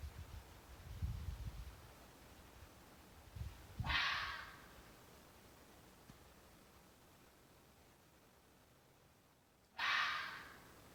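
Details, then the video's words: During mating season a fox gives two short, rasping screams about six seconds apart, each breathy and broad, with low rumbling knocks before the first. "the sound of a fox during mating season"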